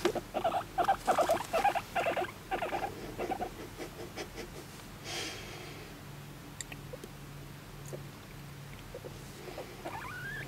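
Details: Pet guinea pig Moru-chan, adopted aged one and a half, asking for affection with a quick burst of pulsed squeaks over the first three seconds, then mostly quiet with faint rustling.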